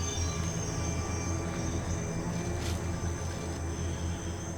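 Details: A low, droning musical score with steady sustained tones plays throughout. No animal calls stand out above the music.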